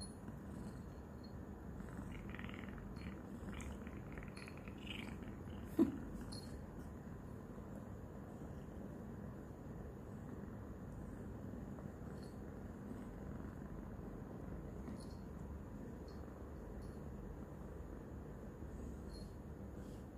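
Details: Loud purring from a recently adopted female domestic kitten licking and biting a hand, still shy of noises; a long, unbroken low purr with a single sharp tap partway through.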